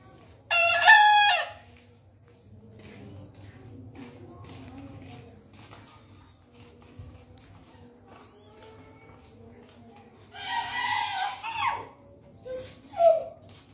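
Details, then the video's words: Distant bekisar crow, heard twice: a brief harsh crow at the start, then a longer rough crow about ten seconds later, followed by a short high note, with quiet background chatter between them. "SUARA KOKOK AYAM BEKISAR DARI KEJAUHAN"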